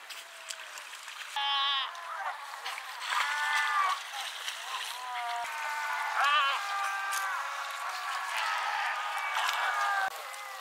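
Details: Cape fur seals at Pelican Point near Walvis Bay, Namibia, 18 July 2012, give harsh, bleating calls that overlap in a noisy chorus.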